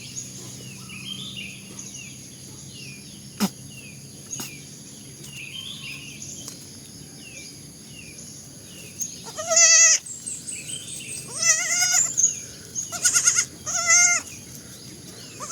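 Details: Baby goats calling after a quiet stretch of soft distant bleats: a burst of loud quavering high bleats from about ten seconds on, several in quick succession, over steady low background hum.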